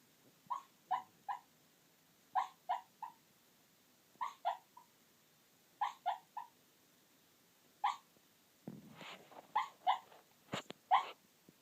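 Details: Sleeping Chihuahua giving soft, short whimpering yelps in pairs or triplets, each group recurring about every two seconds, with a few breathy snuffles near the end in a quiet room.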